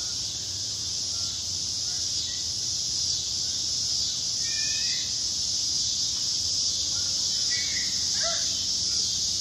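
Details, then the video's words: Cicadas in south Charlotte, North Carolina, after a storm: a dense, continuous high-pitched buzzing drone that holds steady throughout, with a few faint scattered bird chirps in the background. "Cicadas in south Charlotte after a storm"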